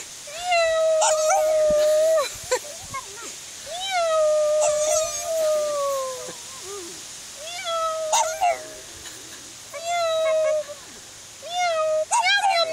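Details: Pug dog meowing along with its owner, imitating a cat: long, steady, tonal wails of one to two seconds each, slightly falling at the end, repeated five times with short gaps and faint clicks between.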